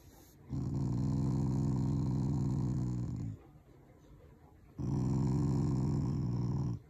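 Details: Shiba Inu growling affectionately at its owners, not angry: two long, low, rumbling growls, each lasting about three seconds, separated by a short pause, indoors.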